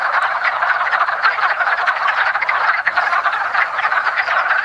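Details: Wood frogs in a dense spring mating chorus at a woodland pond: overlapping clucking, rapid croaks packed together without pause, a steady rattling wall of calls.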